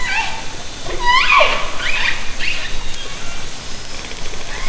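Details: Orcas recorded underwater by hydrophone from a kayak in Haro Strait, summer 2010: sharp rising, squealing harmonic calls sweep upward around the one-second mark, followed by softer wavering tones over a steady hiss of water noise.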